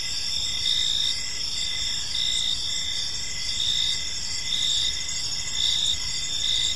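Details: Crickets in a peaceful park at evening, many insects trilling together in high, steady tones, short chirps repeating in a loose rhythm beneath a constant shimmering drone.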